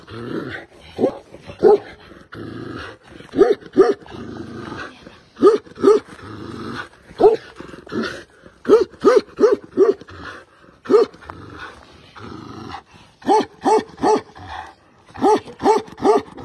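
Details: Tibetan Mastiff barking and growling, a series of deep, rough barks in uneven clusters, with growly rumbles between them.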